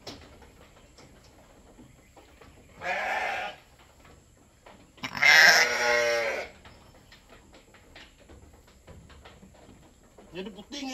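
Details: Goat bleating during milking for a newborn kid: two drawn-out, wavering bleats with rich harmonics, with faint people talking and clapping in the background.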